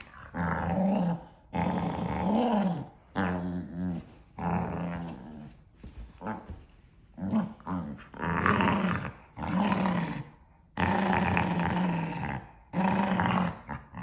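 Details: Two dogs yapping at each other in a mock argument, all bark and no real fight; a long run of throaty, tonal growl-yaps, some wavering up and down, in bursts of about one second with brief gaps.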